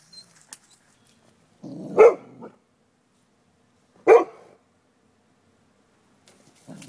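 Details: Dogs next door taunting a neighbouring dog through a stockade fence: two sharp single barks two seconds apart, preceded by a low growl, with quiet outdoor background between.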